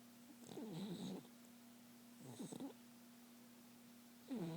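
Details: Sleeping, dreaming pet dog indoors giving short rough snoring breaths mixed with faint wavering whimpery tones, two bursts and the start of a third within a few seconds, over a constant low electrical hum.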